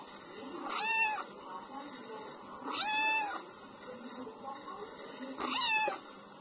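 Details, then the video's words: Three evenly spaced meows from a domestic cat, about two seconds apart, each arching up then falling. The 'meo meo' call is said to drive mice away. "MÈO KÊU MEO MEO Chỉ là mèo kêu meo meo Tiếng mèo kêu đuổi chuột"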